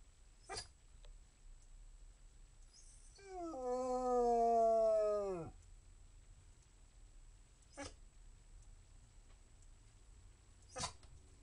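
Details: Basset Hound. A Basset Hound lets out a single full-throated howl, about two seconds long, steady at first before sliding down and cutting off. A few sharp knocks sound before and after it.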